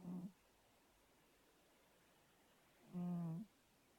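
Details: Snoring from a fat pet cat. A short low breath is followed, after a quiet gap, by a longer, steady, buzzing snore.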